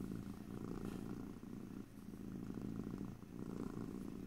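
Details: Cat purr captured in stereo, ear to ear, with no talking: a dense low thrumming that pulses with each breath, easing briefly around 1.5, 2 and 3 seconds before surging back.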